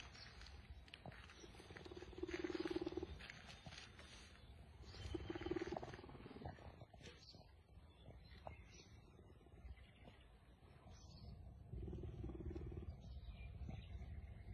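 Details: Leopard presented as friendly toward a human, producing three separate bursts of low, rapidly pulsing rumbling, each about a second long and several seconds apart, over steady low background rumble and occasional knocks.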